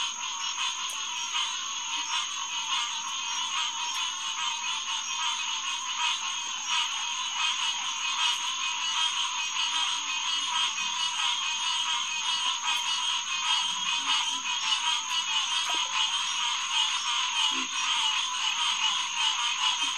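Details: Dense night chorus of green tree frogs (Hyla cinerea) at Headquarters Pond, June 2, 2021, about 9:10 pm; overlapping honks blend into a continuous wall of sound, with a steady high tone above.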